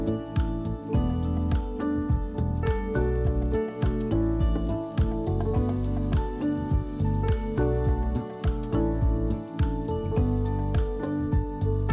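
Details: Gentle instrumental music with guitar and a steady plucked beat plays throughout, with no animal sounds.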